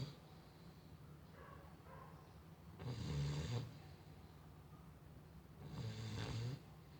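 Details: Female Chow Chow dog snoring: a steady low rumbling breath throughout, with two louder, rasping snores about three seconds apart.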